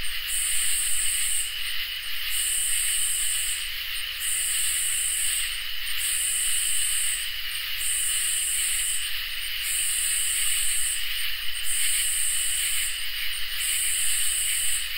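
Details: On a summer night, crickets and katydids form a dense chorus: a constant shrill hum beneath rhythmic high buzzing phrases about one and a half seconds long, repeating steadily with brief breaks throughout.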